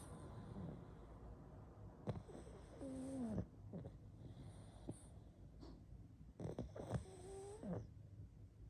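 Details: Sleeping pug snoring: irregular low snuffling breaths with a few short whistling, squeaky tones that dip downward, in a quiet room with occasional soft clicks.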